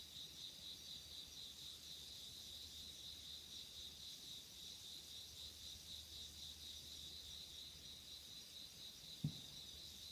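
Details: Night insects in autumn 2016 keep up a dense, pulsing high-pitched chirr with a thinner upper band, unbroken across the recording; a single soft thump sounds near the end over a faint low hum.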